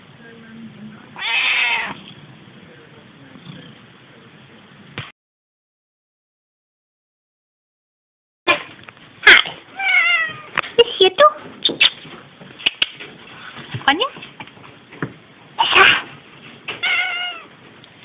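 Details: Female Selkirk Rex cat vocalising indoors: a long drawn meow early on, then after a pause a busy run of short chirping and trilling meows, some rising and falling, with a woman talking softly to her.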